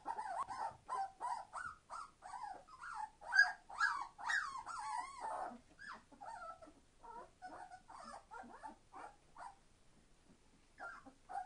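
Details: Entlebucher Mountain Dog puppies, 21 days old, from a litter born 26 September 2015, being very noisy indoors: a busy chorus of high, wavering squeals and whines, overlapping and repeated more than twice a second, fading toward the end.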